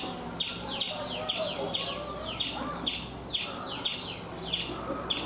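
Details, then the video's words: A chipmunk near a coconut tree in India gives sharp, high chirps, each sweeping downward, repeated about twice a second. "Chipmunk making sounds"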